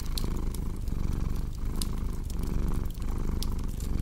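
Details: ['Close, rumbling cat purr with a rough, fluttering texture, rising and dipping with the breath, while bright crackling snaps from a fireplace sound in the background.']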